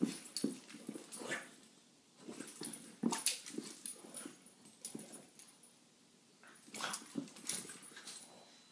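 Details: One of three French Bulldogs playing together gives short, huffy barks and snorting grunts while guarding her spot.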